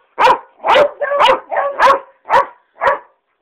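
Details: Two pet dogs singing in a bedroom, giving a series of seven tonal, harmonic barks and yowls about two per second, some drawn out and wavering, with the louder middle notes blending together.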